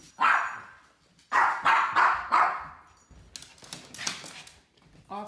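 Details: Teddy, a mini poodle resisting being put into a harness seatbelt, with housemate dog Wolfie present; a single bark, then a run of four rapid barks, followed by softer barking under a person talking.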